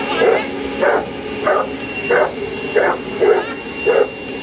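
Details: Boerboel attacking a hoover barks in a steady series of short, punchy woofs, roughly one every half second, over the continuous whine of the running vacuum cleaner.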